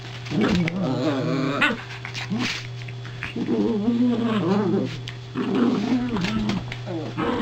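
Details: Toy poodle vocalizing near a newly arrived soft crate, one of two poodles present; long undulating growly moans repeat in three stretches, each wobbling up and down in pitch, over a steady hum.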